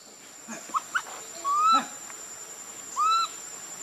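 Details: Baby monkey Leo, hungry and begging its mother for milk, cries loudly: two short squeaks, then two drawn-out, rising, whistled wails about a second and a half apart, over a steady insect hiss.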